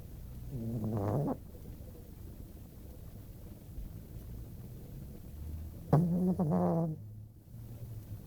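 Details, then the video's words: Female dog snoring in her sleep indoors: two rasping, buzzy snores about five seconds apart, separated by quiet low background hum. "Snoring dog"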